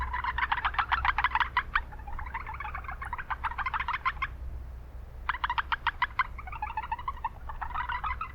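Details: Japanese brown frogs calling in a noisy town wetland, quick pulse trains lasting one to two seconds, a brief pause near the middle, then more overlapping bursts over low rumble.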